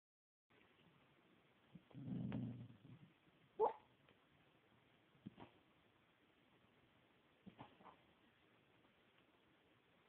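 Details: Honey, a pet dog asleep and dreaming, perhaps of barking at squirrels or fighting off intruders. A muffled low woof comes near two seconds, then a sharp short yip and a few soft huffs spaced out in a quiet room.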